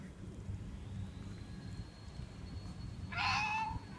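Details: A wild cat that prefers chicken bones to ordinary cat food gives a single short, harmonic meow near the end, after several seconds of low rumbling background noise.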